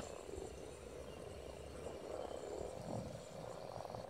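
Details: Spawning frogs at Silton Forest form a steady rumbling mass of overlapping croaks, with no single caller standing out.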